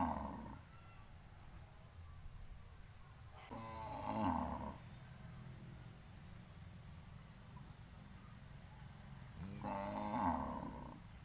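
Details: Cattle gathered on a road before heading to pasture give long, deep moos that swell and fade, spaced several seconds apart.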